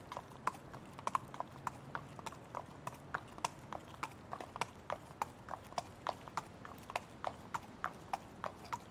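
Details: Hooves of a trotting horse: clear, evenly spaced clip-clop knocks, about three to four per second, continuing steadily with light background noise.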